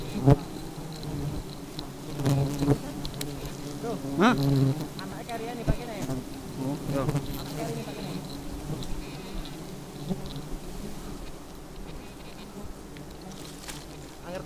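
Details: A swarm of very aggressive honey bees hums in a steady low drone. Irregular taps and crackles stand out in the first five seconds, then the buzz continues more evenly and quietly.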